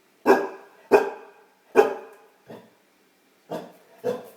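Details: Female Great Dane puppy barking at her own reflection: six sharp, loud, deep barks in quick irregular succession, with a short pause before the last two. Each bark is abrupt and fades quickly, and there is no other sound.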